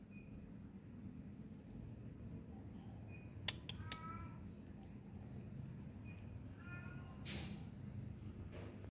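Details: Chunky cat giving soft, short meows, a few brief nasal calls spaced across the recording over a steady low background hum, with a sharp click and a rustle.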